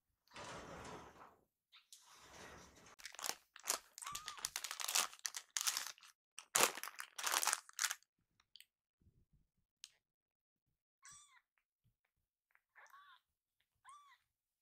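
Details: Rescued baby kittens, waiting together and rushing happily toward their caretaker indoors; loud crinkling and rustling fill the first half, then a few short, high, arched mews sound in quick pairs near the end.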